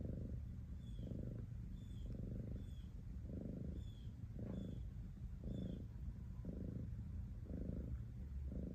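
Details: Continuous low purring from a cat, rhythmic rumbling bursts near one per second alternating with softer breaths, faint thin chirps in the distance.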